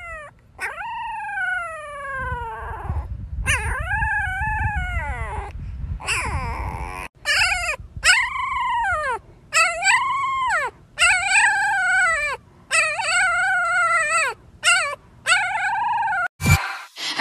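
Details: A Siberian Husky puppy howls for the first time, giving a series of high, wavering howls that rise and fall.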